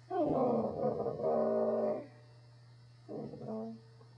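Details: A male corgi "talking" gives a long, wavering, growly howl, then a shorter yowl after a pause.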